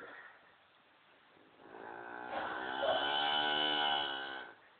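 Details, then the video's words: A vocal Lineback cow named Moo Ma gives a soft, drawn-out moo in the morning, asked if it is time to come in; the harmonic call swells and holds steady for about three seconds, with a person talking nearby. "talking cow"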